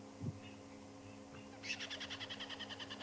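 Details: Squirrel at Djuma Game Reserve, very upset and alarm calling at a male leopard during a morning safari drive on June 19, 2015: a rapid series of sharp, evenly spaced high chattering notes, with a low engine hum underneath.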